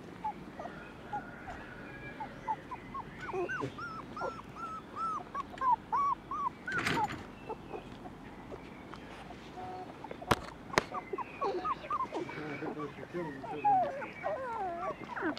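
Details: Non-pedigree Border Collie puppies from two litters on a farm; bursts of short, arched whines and whimpers run in quick series, with occasional sharp knocks and rustling.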